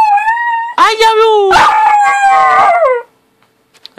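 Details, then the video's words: Puppy in a happy mood, wagging its tail, gives a long sustained howl, first a steady higher tone then sliding lower and wavering before fading after about three seconds; a person speaks over part of it. "Happy Howling Puppy!!"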